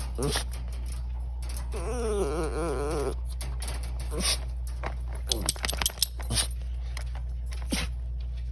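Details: Miracle, a pet Chihuahua, making silly sounds indoors: one wavering, warbled whine of about a second and a half, quivering up and down, with a person calling the dog's name and brief clicks and jangles around it.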